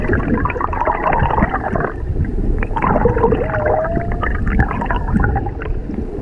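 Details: Underwater humpback song near a mother and calf off Maui, recorded from a whale-watching boat: one long, smoothly rising tonal moan midway through, partly buried in loud churning water and low engine rumble.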